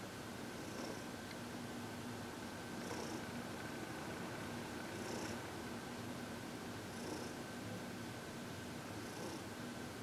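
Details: Heidi, a happy 14-year-old senior cat adopted from the Humane Society of New York City, purring softly indoors during massage and reiki on February 22, 2021; steady low rumble with faint breathy pulses about every two seconds.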